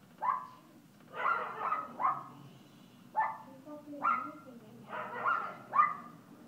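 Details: Alaskan Klee Kai puppy Kooper at play in Paws Pet Resorts Lake Forest doggy day care, giving bright yipping barks in bursts of one to three, about eight across a few seconds, over a low indoor hum.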